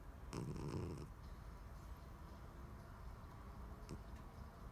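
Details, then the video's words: Daisy, a pet cat, snoring: one low, rough breath with a buzzing, harmonic-rich rasp lasting under a second near the start, then quiet room hiss with a couple of faint clicks. "My cat daisy snoring"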